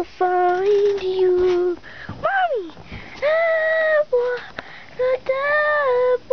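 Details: Playing puppies named Jewel, Cruser and Quin give drawn-out tonal whines and yelps. Some are held steady, others bend up and slide down, and they come in bursts separated by short pauses indoors.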